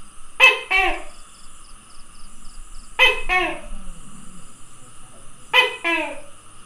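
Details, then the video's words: Three clear two-syllable 'to-kay' calls from a tokay gecko, 27 May 2020, each a harsh harmonic bark followed by a falling second note, repeated about every two and a half seconds against a faint steady whine. "Tokay Gecko Calling"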